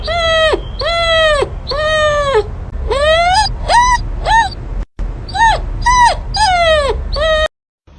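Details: Repeated dog whines and yelps: long, steady, high-pitched cries alternate with shorter rising-then-falling squeals, about eleven in a row, with a brief silent break midway and a quiet end.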